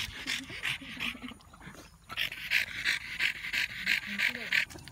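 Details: After a walk on a hot day, a French Bulldog pants heavily in quick, raspy breaths, about three each second, with a person talking softly.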